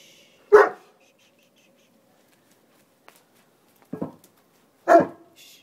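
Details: Oscar and Benson, two puppies playing noisily indoors, give three short sharp barks: one at the start, then two close together near the end, with near silence between.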